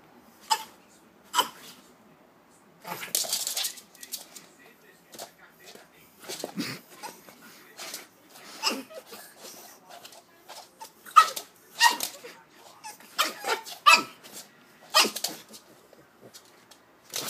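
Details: Ânia (Anastácia), a five-month-old Pug puppy kept as a house pet, angry at two noise-making stuffed toys: short sharp yaps and bursts scattered irregularly, mixed with human talk and laughter in a small indoor room.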